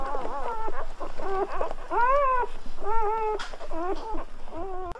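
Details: Squealing from newborn Golden Retriever puppies, sounding rather like guinea pigs or human babies: clear arched whines, each about half a second, repeated in a steady series with faint background rustle.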